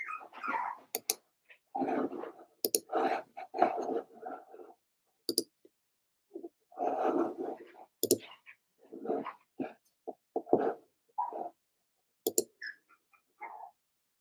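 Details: Daisy's Cavalier King Charles Spaniel litter at four weeks old, several puppies in a pen indoors, making repeated short whimpers and yelps with soft growly grumbles, in bursts with brief pauses and occasional sharp clicks.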